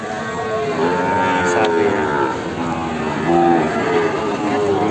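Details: Limousin cross feeder cattle in the morning: drawn-out lowing moos with stacked harmonics, a longer call early on and a short, louder moo near the three-and-a-half-second mark, with background voices and engine-like hum.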